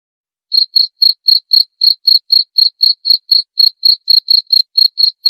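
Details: A cricket's chirping, presented as a way to repel rats: after half a second of silence, a steady run of shrill, evenly spaced chirps, roughly four per second, with no background noise.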